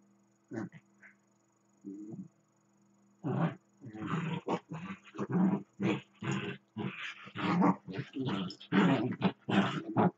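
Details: Pet dachshund running circles around another dachshund, growling, barking and grumbling in play; a few soft growls, then a fast run of loud harsh growl-barks, roughly one every half second.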